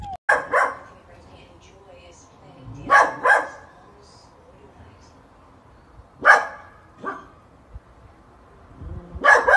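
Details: Sausage dog at home barking in pairs, quick double barks repeated about every three seconds, over a faint background hum indoors.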